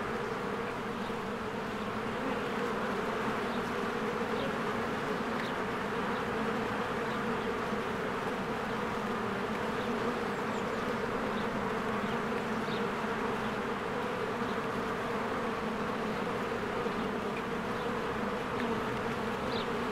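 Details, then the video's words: Busy honeybees at their hive in spring, flowers blooming nearby. The constant swarming hum holds level throughout, with scattered faint high bird chirps dotting the background. "1 Hour of a Beehive ASMR"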